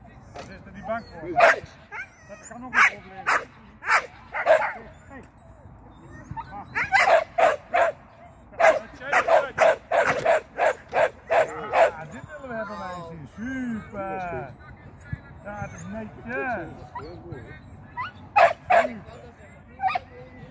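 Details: Sian the Shetland sheepdog, training agility with a first seesaw flyer and a first tunnel run. Loose bursts of sharp barking are mixed with whines and yelps, then quieter whimpers and a few late barks.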